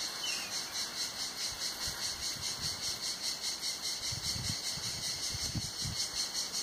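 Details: Cicadas singing on a hot summer day at Tenuta Zimarino, heard from beneath a mulberry pergola: a dense, high, hissing buzz that pulses steadily about two and a half times a second throughout, with soft low thumps underneath.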